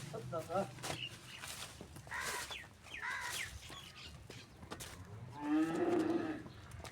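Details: Cholistani Friesian cross cow in Pakistan letting out a single low, drawn-out moo of about one second near the end, after scattered short chirps, clatter and faint voices in the background.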